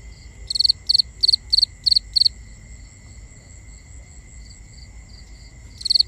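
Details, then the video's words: Nighttime cricket chorus, binaurally recorded: six crisp pulsed chirps in an even row, a quiet stretch with only soft distant chirping and a constant high hum, then another chirp starts at the end. "Cricket Conversations"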